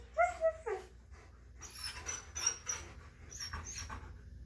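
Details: Two excited dogs on a morning before bikejoring, too eager to sit still while their leashes go on; several high, wavering whimpers open, then clinking, rustling and shuffling noises fill an indoor room.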